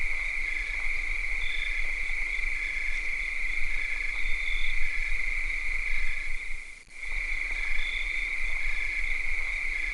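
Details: Summer night chorus of cicadas: continuous high-pitched ringing hum, overlaid by quick repeated chirping pulses, with one short fade-out and return late in the stretch.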